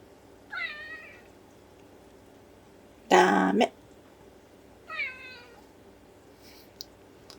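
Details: Ragdoll cat Sumomo indoors on a morning, meowing to ask for a storeroom door to be opened: two harmonic, slightly falling meows about four seconds apart, with a loud, harsh burst of sound between them and a quiet room hum.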